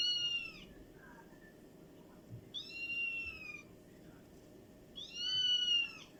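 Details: A domestic cat gives three high, drawn-out meows, each slightly arched and falling, spaced a couple of seconds apart.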